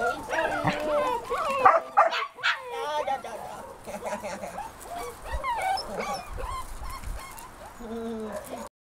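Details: Puppies greeting a visitor: a busy jumble of high, sliding yips and whines, fast and uneven, with some louder bursts early on, quieter low whines near the end, and a man speaking.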